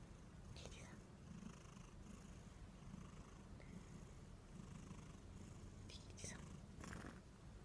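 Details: Somali and Norwegian Forest Cat mix, very plump, purring before falling asleep and snoring; a steady low rumbling purr runs throughout, with a few faint brief clicks and rustles above it.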